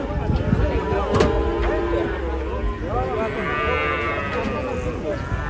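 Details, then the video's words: Agitated cattle jumping down from a truck in Indonesia: strained, wavering moos with rising and falling harmonics over a busy background of crowd noise and handling sounds. "SAPI NGAMUK TURUN DARI TRUK JEMPING"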